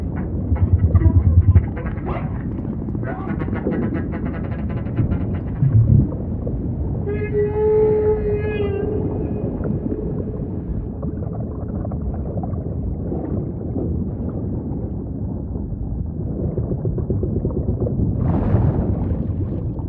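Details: Humpback whale song in ocean ambience: rasping pulsed units early on, then a sustained mid-pitched tonal moan with overtones lasting about two seconds, and a later brief upward sweep, all over heavy low rumble.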